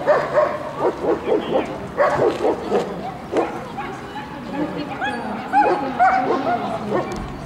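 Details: German Shepherd females at a dog show in Luhansk on 3 May 2009, barking in short repeated bursts, roughly two per second, with voices of people nearby.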